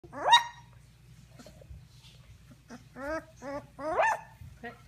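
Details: Kangal/Akbash pup, 17 days old, giving its first big barks: a sharp rising yelp, then a pause and a run of three short harmonic barks close together, with a quiet low hum underneath.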